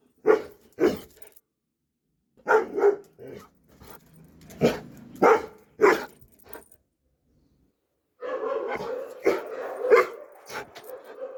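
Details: Dobermann barking in loud, separate broadband barks, a pair near the start, then a string of single barks, and a noisier burst of rapid barking near the end.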